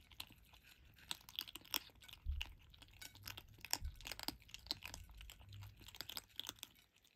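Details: Five Turkish Angora kittens eating dry food for the first time crunch it with quick, irregular crisp clicks and chewing, recorded 27/01/2023.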